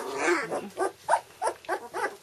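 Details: Litter of two-week-old red standard poodle puppies indoors making a series of low grunting whines, about five short nasal bursts spaced roughly every third of a second, some squeaky at the top.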